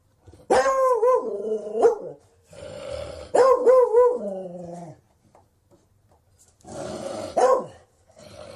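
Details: Beagle baying in long, tuneful howls lasting one to two seconds each, three drawn-out bays rising and falling in pitch with gruff edges, separated by pauses.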